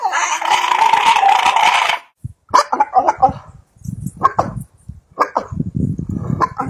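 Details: Dog making weird, funny sounds: a steady, nasal whining tone held for about two seconds, then after a short gap a run of choppy, uneven yelps and grumbling bursts of varying pitch.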